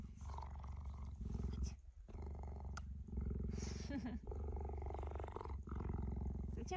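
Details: Tame female cheetah lying beside a person indoors and showing affection, purring in a steady, deep, rapidly pulsing drone throughout, with a person talking softly over it.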